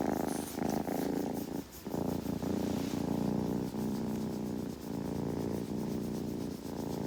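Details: Close, loud purring from a kitten during grooming, a dense throbbing drone with faint rhythmic breaks where the breath turns, plus a brief lull near the start.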